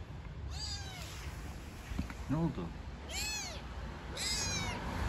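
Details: Street-living newborn kittens with their mother cat give three clear, arched, harmonic mews, with a soft human voice murmuring between them and a constant low rumble behind.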